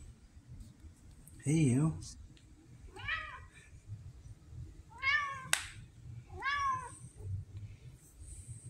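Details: Red tabby cat Pumpkin, a female kept indoors and described as vocal with a Siamese-like personality, October 2023, gives four arched, harmonic meows spaced a second or two apart, the first lowest and loudest, in a quiet room.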